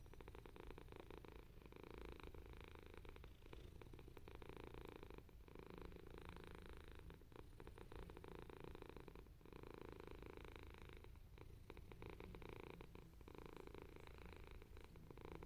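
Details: Purring from one of two male cats, a grey British Shorthair and a white-and-ginger, patiently waiting for a turn on an owner's lap, 12 August 2021; soft continuous low purr with a faint broadband hiss and no pauses.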